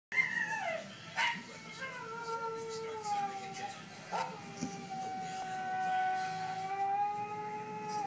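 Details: Husky howling in reaction to another husky's howl: long, drawn-out tonal howls that slide down and then hold steady, with several overlapping voices and short breaks, plus faint background sounds.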